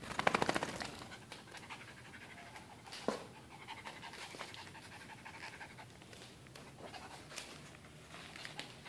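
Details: Fast, uneven panting from AJ, a pet dog, as he gets amorous with his towel after tug of war. A louder burst of huffs opens, then steadier rapid breaths continue, with a sharp knock near the third second.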